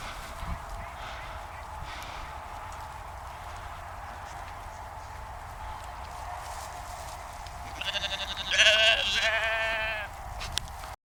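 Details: A sheep on a dike near the Westerschelde, Zeeland, the Netherlands, gives a loud, quavering bleat near the end, after a stretch of quiet background hum; finding: Sheep.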